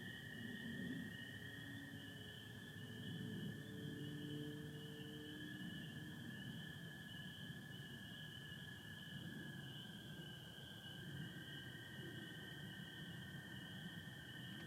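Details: Spring peepers calling in a night chorus in Michigan on 24 April 2025, under stars with some overcast, joined by American toads: a steady high shimmering band of peeps above a continuous lower trilling drone, with faint low rumble beneath.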